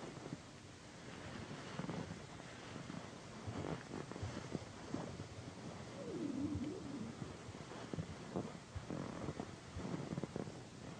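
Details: Indoor purring from Pandy, a loud-purring female house cat, as she is massaged on a satin pillow: a continuous low buzzy rumble, swelling slightly midway, mixed with fabric rustles and hand strokes.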